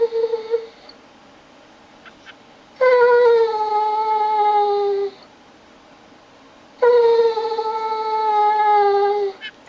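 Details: Bored indoors on a rainy day, the German Shorthaired Pointer Pike fakes crying with a wagging tail to be taken for a walk or run. Two drawn-out whines of about four seconds each, sliding slightly lower, with quiet between.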